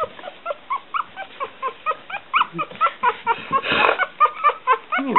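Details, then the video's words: Noisy one-week-old Smooth Coat Collie/Coon Hound/Pomeranian puppies, Bella, Kooper and Boy, squeal and whimper in a rapid run of short high yelps, about two per second, with a rustling burst midway. "1 week old Smooth Coat Collie/Coon Hound/Pomeranian puppies"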